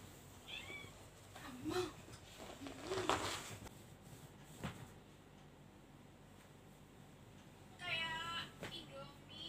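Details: Domestic cat indoors, giving short harmonic meows near the start and again toward the end, with a brief human voice in between and faint clattering background noise.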